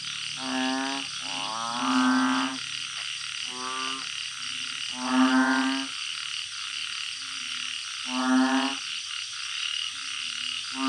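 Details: Chorus of banded bullfrogs kept in a backyard garden in Thailand, calling at night: several males give low, drawn-out moaning croaks, overlapping and alternating every second or two, with shrill insects buzzing throughout.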